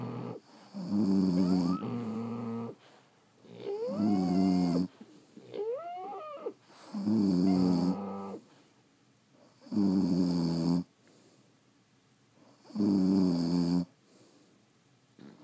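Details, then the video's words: French Bulldogs asleep indoors, snoring in loud rasping bursts about every three seconds, some inhales rising into squeaky whistled tones, quiet gaps between breaths. "Snoring French Bulldogs"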